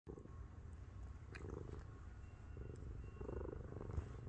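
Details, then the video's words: Miru, a 7.5 kg pet cat, climbs onto its owner's belly and purrs loudly, a deep rumbling tank-like purr held steady low in pitch, with faint soft rustles and small clicks over it. "7.5kg 고양이가 자꾸 배위에 올라와요... 숨막힘 (골골 탱크소리+폭풍애교)"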